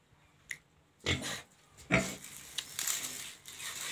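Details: Large Black pig indoors making broad noisy grunting bursts at about one and two seconds, with softer snuffling and chewing-like sounds between and a brief click near the start.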